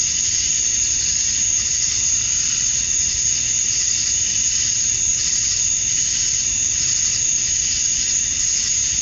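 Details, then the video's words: Summer dusk in Georgia, USA, with male cicadas calling to draw females: a continuous piercing hiss-like buzz, very high and unbroken, swelling gently in waves. "Cicadas at Dusk, Summer Night"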